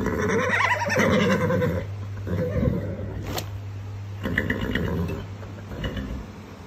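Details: Coalesce Puma, a foster horse of the Retired Horse Association, waits in the stall for feed and, too impatient to wait its turn, calls out demanding food; low rumbling, throaty vocalisations in bursts, separated by pauses, with stable noises and a steady low hum.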